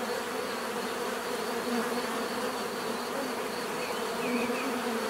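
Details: Many bees buzzing steadily in nature, a dense continuous drone with layered hum bands and no pauses, a few faint higher chirps near the end.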